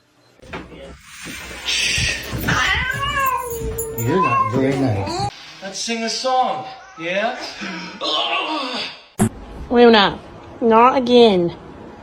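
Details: Kittens meowing: drawn-out, wavering mews with rising and falling pitch, a pair of sharper repeated cries near the end, over human voices and some background music.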